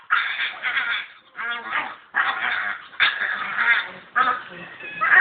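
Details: A 3-month-old male purebred English Staffordshire Bull Terrier puppy makes harsh, nasal, honking grumbles in bursts about a second long while rolling around; his owner calls them weird noises.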